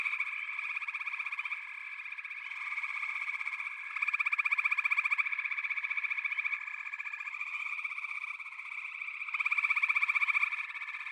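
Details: Dense chorus of frogs, with rapid rattling trills layered over one another into a continuous pulsing drone that rises in strength twice and fades back between surges. Nothing else is audible.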